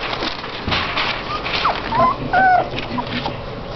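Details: Litter of seven Golden Retriever puppies in a box while their bed is cleaned; brief high tonal whimpering squeaks, some rising and some falling, over steady rustling and a human voice.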